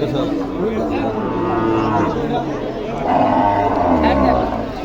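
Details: Dairy cows with calves one to seven days old at Aricha cattle market in Bangladesh, long drawn-out lowing moos over a dense crowd of chatter and voices.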